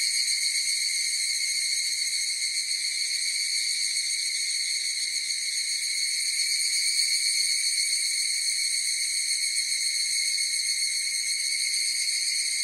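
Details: A chorus of higurashi cicadas gives a sustained, high, metallic ringing that never pauses, even in loudness with slight shimmering pulses, heard alone without wind, people or other callers.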